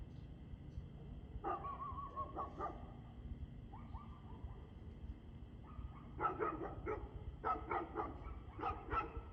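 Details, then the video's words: Barking dog recorded at 6:02 pm on 2/6/2024: a few separate barks, then a quickening run of sharp, ringing barks toward the end, heard at a distance over low rumbling background noise and a faint steady hum. "Barking Dog"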